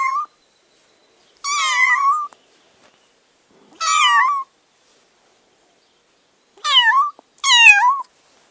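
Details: A kitten being taught to walk, indoors; four loud, clear meows, each about half a second to a second long with a wavering, slightly falling pitch, separated by silences of one to four seconds.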